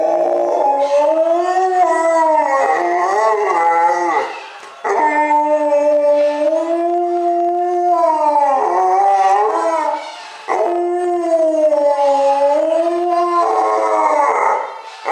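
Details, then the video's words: Alaskan Malamute howling: three long, sustained tonal howls of about four seconds each, wavering gently in pitch with rich harmonics, separated by short breaths. "Le chant du Malamute"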